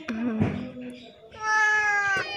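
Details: A scabies-stricken cat that cannot open its eyes, crying after turning up at a house seeking help; a person speaks first, then one long, strained, high meow rises and holds for nearly a second.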